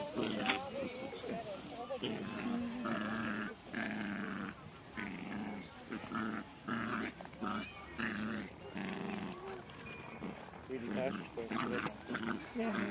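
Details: Two Jack Russell Terriers, six-month-old Loki and Singa, wrestling and biting in play; repeated throaty growls and snarls come in bursts about every second, with a man speaking in the background.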